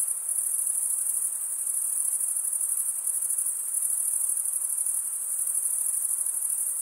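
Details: A high, shimmering trill from crickets chirping together, the rapid pulses merging into one sustained tone that swells slightly in places. No other sounds are audible.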